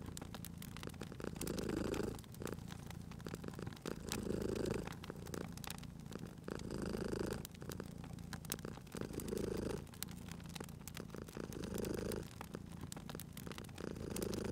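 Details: Cozy cat at a crackling fireplace purring continuously, a deep rumble pulsing in regular swells about every two seconds, while fire pops and crackles sound sharply throughout.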